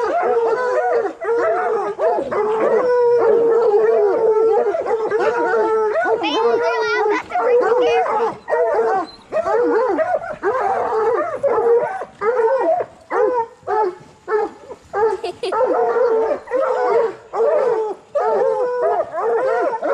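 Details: Coonhounds, bluetick and black and tan, in training to hunt raccoons: several dogs bay and howl at once, overlapping drawn-out mid-pitched howls with bawling barks, a dense continuous chorus with brief gaps, and a voice heard near the start.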